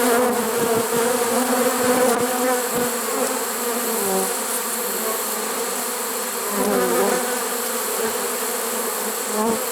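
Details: Swarm of honey bees captured in a trap in September 2019, unusually late in the season; thick, even buzzing of many bees, slightly louder at the start and swelling again midway.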